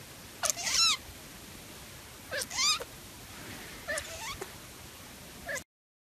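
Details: Hairless Sphynx cat giving three sharp, rising-and-falling meows about two seconds apart, the first loud and drawn out, the later ones softer and shorter, before sudden silence.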